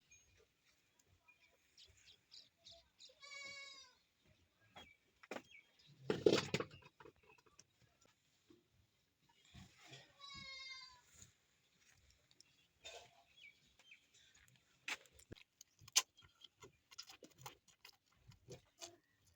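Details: Goat at milking time: two brief, quavering bleats with a pulsing tremble, several seconds apart, amid clattering knocks, rustling and scattered handling noises.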